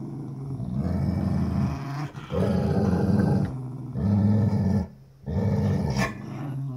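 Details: Pitbull and Jack Russell battling over a new toy; sustained deep growling in long bursts of about two seconds each, separated by short gaps, with snarling intensity throughout.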